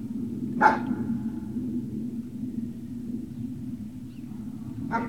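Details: Great Dane puppies at Puppy Hill, recorded 18 November 2018 in early afternoon: a single sharp bark, a long pause with low steady background hum, then a second shorter bark near the end.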